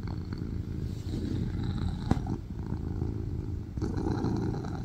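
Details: Tuxedo cat settled on its owner's lap, purring loudly; a dense low vibrating rumble runs throughout, broken by a sharp click near the middle and a soft knock toward the end.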